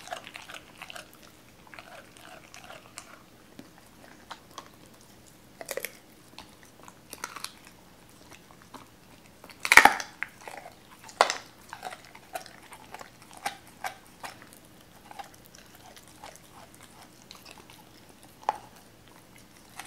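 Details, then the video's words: Raw chicken being eaten by Cola the Doberman, who was wary at first; mostly soft sparse chewing clicks with one loud crunching bite near the middle and a few sharper snaps afterward. "도베르만 생닭 먹방 ASMR"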